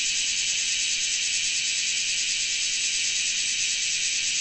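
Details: Noisy Graptopsaltria nigrofuscata, the large brown cicada, giving a continuous high, dry sizzle that holds an even level from start to finish without breaks; nothing else stands out.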